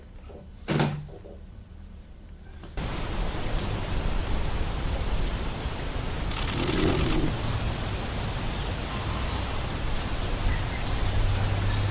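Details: Steady broadband rushing noise follows a sharp thud early on, with no animal heard.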